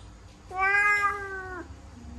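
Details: Pet kitten caught in a laundry basket indoors lets out a single clear, steady meow of about one second, ending with a slight drop in pitch. The room is otherwise quiet.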